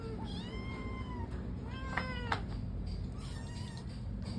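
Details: Indoor Persian cat asking to go out, with several softer, drawn meows that rise and fall, plus a couple of sharp clicks partway through and a faint hum throughout.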